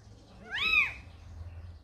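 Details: Calico mother cat Samsaek, who brought a kitten to the house: one clear, loud meow that swells up and falls away over half a second, rich in overtones, against a quiet, low background hum.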